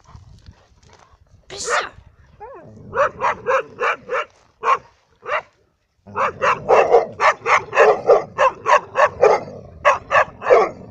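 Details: Dogs in Cyprus, Labradors alongside a hunting dog, barking in quick bursts: a single yelp, then a run of sharp barks with a short pause before a faster, denser series. Low rumbling noise underneath.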